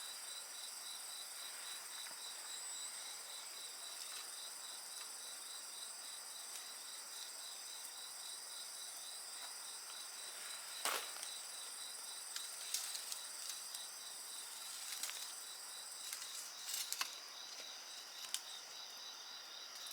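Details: Many insects sing in sustained high trills and quick pulsed chirps, the chorus unbroken throughout, as a burning fire adds sharp snaps that cluster toward the end.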